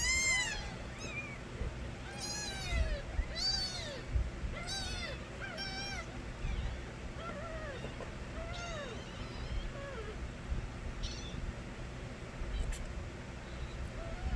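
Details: Kittens of the street cat Nabi wail with strong, high arched meows, several crying at once early on. The calls become sparser and softer toward the end, with a faint click and a low hum throughout.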